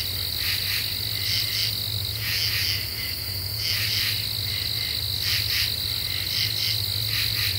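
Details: Night chorus of common true katydids in deciduous forest, recorded July 2013: harsh rasping bursts in short groups of two to three, several callers overlapping, with a continuous high-pitched insect drone and faint low hum behind.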